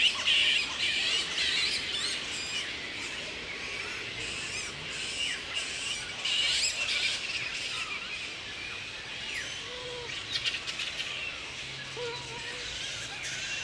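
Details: Wild grey-headed flying foxes at Woodford, Australia, in mid-April at the peak of the breeding season, mating pairs roosting together; dense high-pitched squawking and screeching from many animals, with rapid overlapping chatter and occasional louder harsh bursts.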